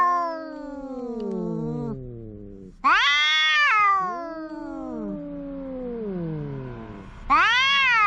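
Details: A cat calls loudly in long wavering meows, a quieter falling wail followed by a sharp loud rising cry, then more sliding lower moans before another loud meow at the end.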